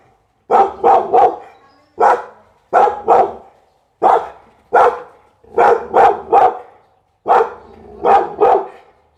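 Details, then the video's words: Pit Bull barking in quick triplets and pairs, each burst loud and abrupt, followed by short quiet spaces before the next round. "เสียงหมาเห่า #หมาพิทบูล"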